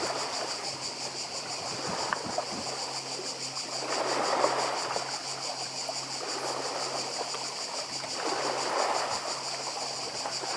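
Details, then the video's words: Cicadas on Badija island, Croatia, heard as white noise beside the sea: a steady, high, shimmering buzz with fast pulsing runs unbroken through the whole stretch, while waves surge and hiss below, swelling around four and nine seconds. "Cykady i szum morza w Chorwacji"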